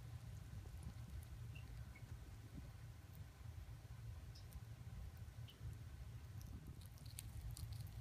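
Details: Two chipmunks eating corn chew steadily, with soft crunchy nibbling over a low rumbling background.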